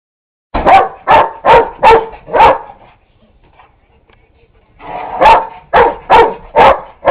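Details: Neighbour's dog Buddy barking at a vacuum cleaner that is switched off: two bursts of about five sharp, evenly spaced barks, separated by a few seconds of quiet.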